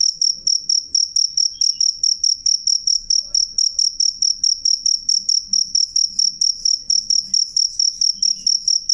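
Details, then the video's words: Piercing high cricket trill broken into rapid even pulses, about 140 a minute, loud and clear against a near-silent background with slight low-pitched noise. "suara jangkrik jernih keras"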